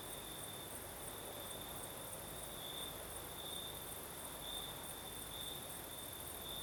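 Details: Crickets singing at night in southern Crimea: a steady, high-pitched trill with slightly brighter pulses, over a constant hiss of night breeze and a fainter, higher shimmering band.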